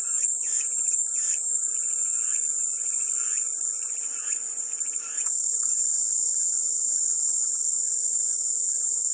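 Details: Cicadas as calming white noise: an unbroken, shrill, high-pitched buzzing drone holds steady throughout, with softer mid-pitched chattering notes in the first five seconds and a faint steady low hum underneath.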